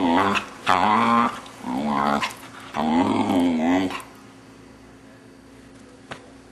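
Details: A six-month-old male Vizsla makes weird noises while his owners play with him. Long, wavering, growly moans come in three drawn-out bursts over four seconds, then the room falls quiet apart from a single faint tap.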